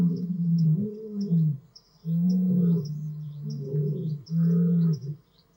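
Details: Male lions of the Madrid pride and Marataba coalition at night on Blue Canyon Private Game Reserve in summer, fathers teaching sons to roar; deep, low grunting roars in long moaning pulses, four bouts about a second each, faint chirping insects high above.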